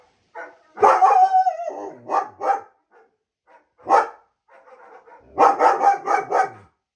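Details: German Shepherd barking and whining indoors, reacting to sounds of other dogs: a drawn-out whine near the start, then short barks in bursts, ending in a quick run of five rapid barks.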